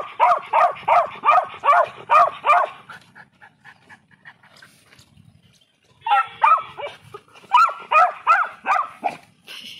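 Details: Beagle puppy Tovi reacting on first seeing guinea pigs and rabbits: quick, high-pitched yaps in a rapid run of about six, a quiet gap with softer sounds, then another burst of repeated sharp barks.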